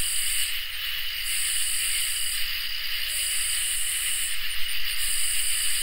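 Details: On a summer night, crickets and katydids keep up an unbroken shrill trill while scratchy high buzzes pulse on and off about every two seconds. A soft low rumble sits underneath.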